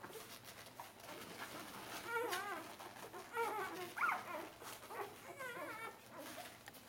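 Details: Several four-day-old Bernese Mountain Dog puppies from the Bernerstars A-litter pushing for milk; overlapping wavering squeaks and little chirping whines, fairly continuous, over a faint room hum.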